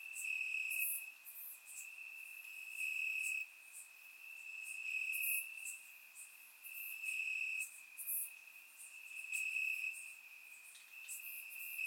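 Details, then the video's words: Crickets chirping in grass on a warm summer night in Bulgaria, recorded with a surround microphone: a steady high trill with brighter pulses swelling every couple of seconds, several insects overlapping, no other sounds. "Cricket Sounds - Crickets Chirping at Night"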